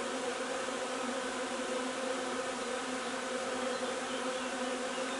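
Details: Honey bee hive foraging for linden nectar on 3 June: a dense, continuous buzzing hum from many bees, steady throughout, with droning bands that stay level in pitch and no other sounds.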